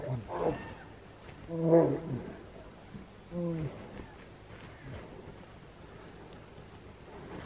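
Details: Wild brown bears fighting in Finland in July 2018 roar in low, harsh, drawn-out bursts.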